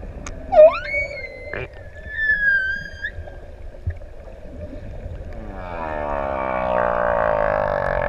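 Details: Humpback whales, six adults, singing underwater in open sea off ʻEua, Tonga, while swimmers approach: a sharp upswept cry, then high thin whistles and a long wavering moan near the middle, ending in rising broad swishing noise.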